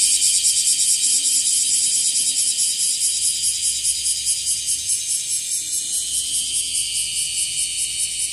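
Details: Bear cicada, known locally as wasiwasi, growing more numerous and singing from trees and grass: a strong grating buzz with fast steady pulsation, slightly fading toward the end of the passage.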